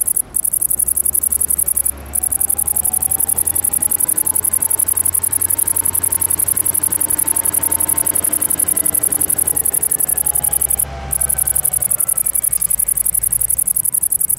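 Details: Great green bush-cricket (Tettigonia viridissima) singing a continuous, very high, sizzling buzz built from rapid pulses, broken by two brief pauses, over a low hum.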